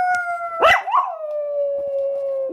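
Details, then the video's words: Female pet dog howling like a wolf: a sustained smooth howl that dips slightly lower, with two quick wavering yips breaking into it near the start. "My dog howls?!?!"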